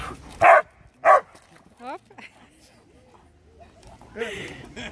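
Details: Labrador Retriever, one of two Labradors named Max and Raja, recorded 23 May 2020: two loud, sharp barks about half a second apart near the start, followed by Dutch speech and a brief yelp-like sound at the end.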